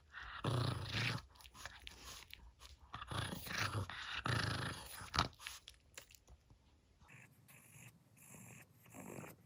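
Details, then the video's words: Maltese dog really showing its temper: rough, noisy growling in uneven bursts, several close together over the first six seconds, then a quieter, hissy stretch near the end. "말티즈 승질 제대로 보여줌"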